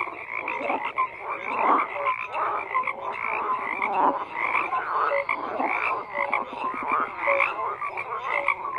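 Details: Many frogs croak at once, a thick mesh of raspy pulsed calls and brief tonal notes, with the intensity swelling and easing every second or so.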